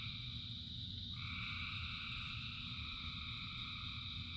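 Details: Thousands of frogs singing in the rain form a dense, unbroken chorus of high trilling bands; a higher layer swells in after about a second, all over a steady low rumble of rainfall.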